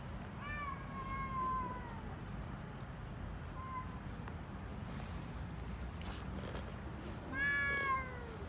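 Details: Hungry stray street cats in Istanbul, Turkey, meowing for food while eating: a long falling meow, a brief one near the middle, then a sharp rising meow at the end over a low steady street rumble.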